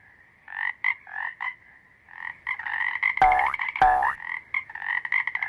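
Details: Toad croaks, given by males defending territory and attracting females. Scattered buzzy notes build into rapid pulsed trains, with two loud swooping calls near the middle.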